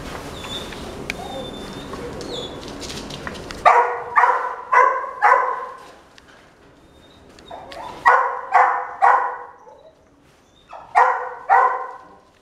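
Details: A red female Miniature Dachshund, born 12 May 2017, gives bursts of sharp, high barks in quick groups of three or four.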